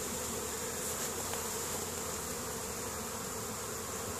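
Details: Honey bees foraging in spring at their hives in Caribou, Nova Scotia, Canada, on 10 May 2015, workers bringing pollen home; a steady, dense buzzing hum of many bees, even and unbroken throughout.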